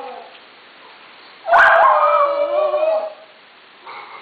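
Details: Howling duet by two dogs named Kuki, alto, and Krim, soprano: a sudden loud howl starts at one and a half seconds, wavers and falls over about a second and a half, then fades, with a brief softer cry near the end.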